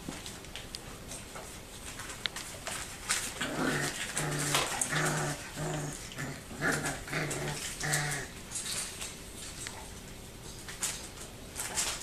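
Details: Four-week-and-one-day-old dog puppies from one litter give a run of short, harmonic whimpering yelps in a small indoor room, 20 February 2013.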